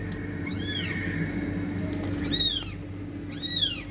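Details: Cat sounds, said to come from fighting cats: three brief, sharply arched meows spaced about a second apart, the last two louder, over a constant low droning background.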